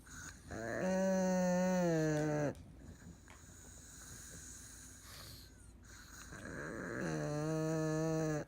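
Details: Old pug in deep sleep with eyes open, an aged dog now under care, snoring twice: two drawn-out humming inhalations about six seconds apart, each buzzy and even in pitch, with quiet breathing between.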